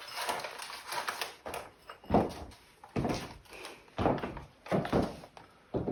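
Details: Irregular thuds and knocks indoors, like a door and objects being moved about, with no animal calls.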